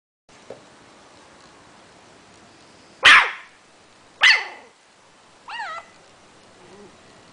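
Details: Simba, a one-month-old Yorkshire Terrier puppy, giving its very first barks: two sharp, high yaps about a second apart, then a short rising-and-falling whine and a faint soft squeak against a quiet background.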